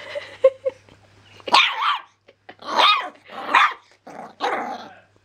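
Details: A seven-week-old male black-and-white Jug (Jack Russell–Pug cross) puppy barks at a squeaky toy: a few toy squeaks, then a run of high, harsh barks, the most and loudest he has barked so far.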